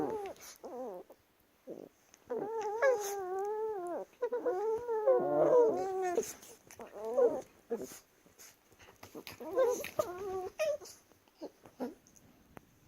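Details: Chihuahuas wrestling indoors, giving playful whiny grumbles: wavering, stacked-tone vocalizations that rise and fall, in bursts of one to two seconds with short pauses, plus scattered sniffs and scuffling clicks.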